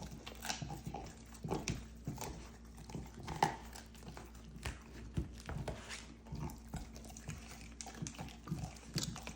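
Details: Belgian Malinois eating raw ribs at snack time indoors: quiet, irregular crunching and gnawing with sharp clicks of teeth on bone, about every two seconds, plus soft wet chewing between.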